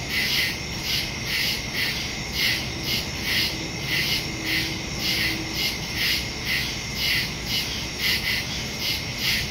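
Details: Woodland crickets at night in early September, captured by phone and stereo mic: rhythmic high chirps near two per second, layered callers, a faint low tone briefly in the background.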